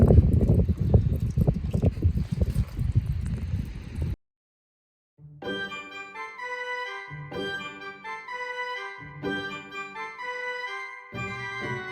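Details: Low rumbling handling noise gives way to a second of silence, then electronic organ or keyboard music with repeated chords, and no goat calls are heard.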